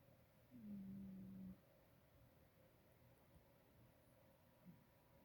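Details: A sleeping female pet cat snoring indoors: one low, rough, drawn-out breath lasting about a second, then only faint room hum.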